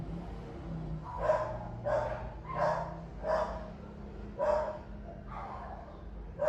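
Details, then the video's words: Dog barking while a pet monkey listens curiously; muffled, somewhat distant barks repeated about every second over a low background hum. "heard the dog barking"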